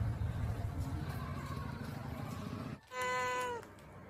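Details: Angry pet cat Lily, filmed in a home garden: after a few seconds of low background rumble, a single sharp, flat meow with rich overtones cuts in and ends abruptly.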